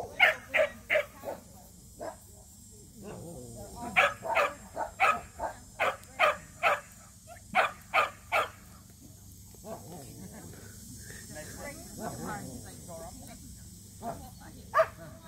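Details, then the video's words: Samoyeds Mozart and Zuko at their first local match show; sharp barks come in quick runs of three to five, roughly half a second apart, with pauses between bursts, low chatter and hall noise beneath. "Samoyeds Enter in a Match Show"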